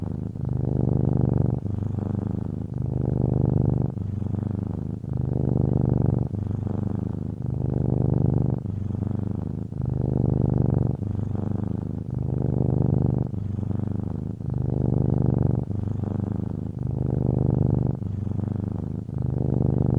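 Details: Low vibrating purr of a cat repeating in rhythmic surges, with soft synthesizer and keyboard music blending underneath.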